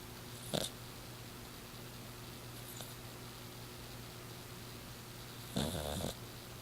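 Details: Miss Piggy, a six-year-old female exotic shorthair Persian cat, snoring while asleep indoors: a short snorting breath, then a longer rough, rasping snore about five seconds later, over a steady low electrical hum in a quiet room.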